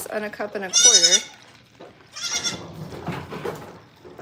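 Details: A goat on a farm gives one loud, quavering bleat of about half a second, its tone wavering as it goes, followed by people talking quietly in the background.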